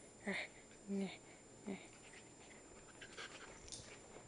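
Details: Eight-week-old Pembroke Welsh Corgi puppy playing at night indoors with a Havanese: three short whimpering yelps about 0.7 seconds apart, followed by soft scuffling and faint rustling in a quiet room.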